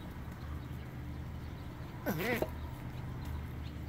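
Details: A male Burmese star tortoise gives one brief, nasal, wavering duck-like quack while mating, lasting about a third of a second over a low steady background rumble.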